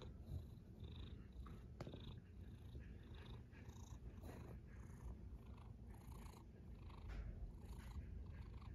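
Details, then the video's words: A snoring cat produces a quiet, constant low drone, with soft breath noise rising and falling above it and a single click just before two seconds. "A snoring cat"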